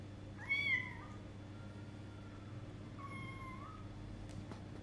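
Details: A 20-day-old kitten venturing outdoors for the first time: one loud, rising-falling high meow followed by a quieter, flatter mew about two and a half seconds later, with a faint click near the end and steady background hum.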